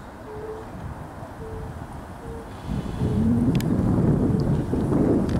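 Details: European fire-bellied toads give soft, hollow 'oop' booming notes about once a second over rumbling wind, recorded 5 May 2023.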